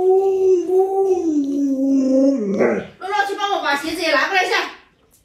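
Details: Indoors, an Alaskan Malamute named Luoluo tries to wake its late-sleeping owner. It opens with a sustained, wavering howl that slowly falls in pitch over about two seconds. A human voice then takes over, talking rapidly.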